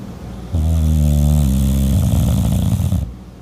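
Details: A French bulldog snores in its sleep, one loud, low, rattling snore lasting about two and a half seconds, smooth and buzzy at first, then turning rougher and gurgling.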